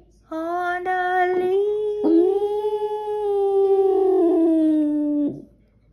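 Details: Freshly woken Boston Terrier singing along with music: one long, steady howl held for about five seconds that slowly sinks in pitch near the end, with brief wavering and sung music behind it.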